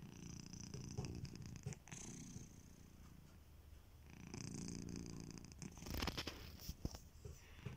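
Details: Domestic cat named Kitiboy, a house pet, snoring while asleep; low rumbling breaths swell and fade in slow cycles, with a few sharp clicks and rustles near the end.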